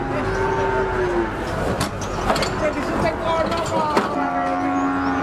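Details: Cattle moo briefly at the start and again near the end, low sustained calls partly masked by clattering, thumps and the noise of vehicles and people.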